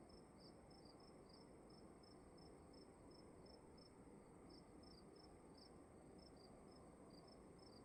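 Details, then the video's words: A cricket in a dark room at night gives high, clipped chirps in a slightly uneven rhythm, some coming in quick doubles, while a steady broadband hiss and low rumble fill the background. "Sound of emptiness and crickets in the room"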